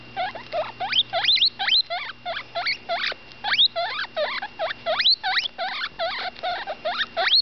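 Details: Butterscotch, a roughly 10-day-old female baby guinea pig, calls while eating: rapid rising whistled squeaks sweeping sharply upward, repeated about twice a second in a steady chattering run, over a faint low electrical hum.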